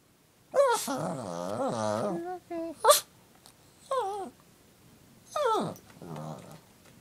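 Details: A Pekingese cries along to a video of a puppy whistle, giving long, wavering, high whines that slide up and down, broken by short yelps.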